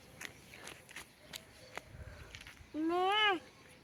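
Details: Sheep seen in front of a house, near a sheep farm: a single quavering, wavering bleat lasting about half a second comes near the end, after footsteps and scattered human voices.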